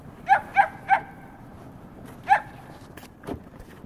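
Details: Playing dogs Ruger and Missy, a Newfoundland and a Great Pyrenees; three fast barks, a pause, then a single bark, followed by clicks and a low thump.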